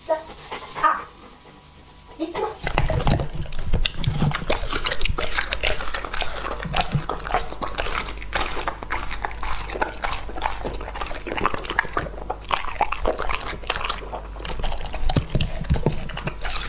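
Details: Lucky, a two-and-a-half-year-old male English Labrador, eating raw meat: a quiet opening two seconds, then continuous wet chewing, smacking and crunching with dense clicks that run to the end.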